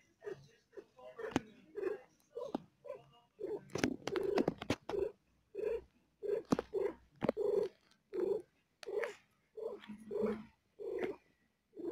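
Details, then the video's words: Female cat giving birth to four kittens, in pain: rhythmic purring pulses come in short breathy bursts roughly every half second, steady and mid-pitched, with a few sharp clicks and rustles between them indoors. "Cat giving birth to 4kittens:, she feels pain"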